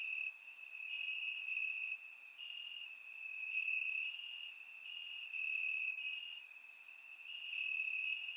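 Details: Warm summer night in Bulgaria, crickets chirping among grass, captured by a surround microphone: an unbroken high-pitched trill with small pitch shifts and quick, very high chirps repeating about once per second.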